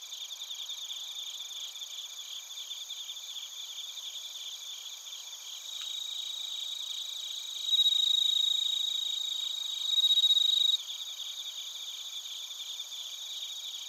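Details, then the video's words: Bell crickets and other crickets chirping in Narita, Chiba Prefecture, Japan, recorded on a TASCAM Portacapture X8: a dense, high, rapidly pulsed trilling chorus, with a louder ringing tone swelling in around the middle and fading near the end. "スズムシとコオロギの鳴き声 - Chirping of crickets"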